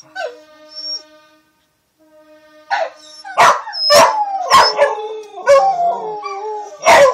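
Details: Two Corgis howl together in wavering, falling tones in the morning, answering the steady wail of fire sirens after a power outage.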